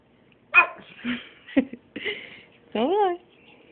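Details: Female pet dog barking for food after a walk, indoors: a sharp bark followed by short yips and a longer rising, wavering whine-like bark, mixed with a person speaking to the dog.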